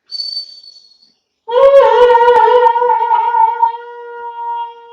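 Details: A 2-month-old long-coat German Shepherd puppy gives a long, steady, mid-pitched howl after a brief thin, high whine.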